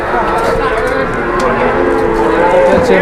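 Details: A super jumbo fat cow kept as Indonesian livestock gives a steady, droning low moo lasting about three seconds, with people talking nearby throughout.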